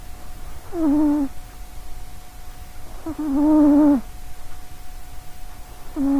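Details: Sausagecat, a female domestic cat with little legs, asleep near a microphone and snoring; three droning, nasal snores, each dipping slightly in pitch, come roughly every two and a half seconds with soft breathing between.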